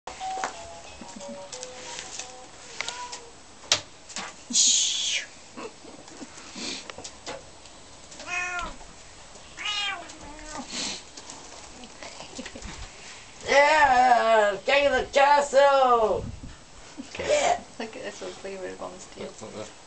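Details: Bengal kittens, twins named Ronnie and Reggie, indoors; a run of repeated rising-falling meows, loudest and densest midway, mixed with people talking and laughing and faint background music.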